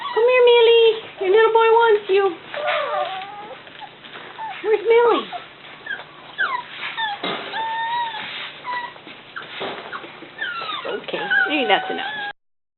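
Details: Indoor Cavalier King Charles Spaniel giving a quick run of steady, high whimpers at the start, then thinner squeaky whines, mixed with a person talking to the dogs throughout.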